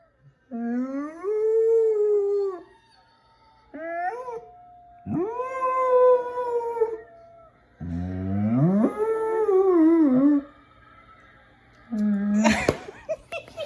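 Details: A pet dog gives a series of drawn-out howls, four long wavering cries separated by pauses, each rising then sagging in pitch, with a sharper final yelp near the end.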